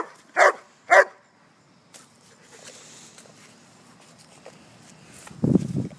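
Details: German Shepherd named Sheba, a pet dog outdoors among leaves, gives two sharp, loud barks about half a second apart, followed by quieter rustling and a low huffing sound near the end while being told to lie down.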